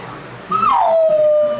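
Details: Puppy's first howl, given when left alone for the first time: one whining cry that bends up, then slides down into a long, steady, falling tone lasting about a second, with quiet room noise behind.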